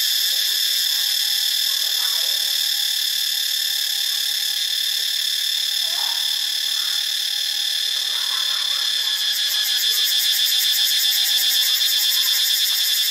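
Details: In Ubon Ratchathani, Thailand, cicadas keep up a dense, shrill electric drone that holds at one level throughout. A throbbing pulse becomes clearer toward the end, and faint lower notes sound underneath.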